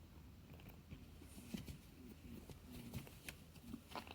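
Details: Mikan, a female orange Holland Lop rabbit indoors, is overjoyed at meeting her owner again after several days apart. She gives soft, short low grunting notes in quick scattered bursts, mixed with clicks and rustling.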